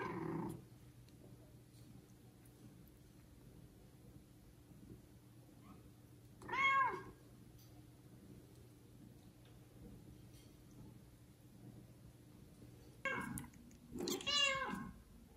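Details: Kitten of mother cat Judy's litter of four, meowing loudly to call its neglectful mother as another cat takes it: two bursts of harmonic, wavering meows, one alone, then a quick cluster of three near the end, with quiet gaps between.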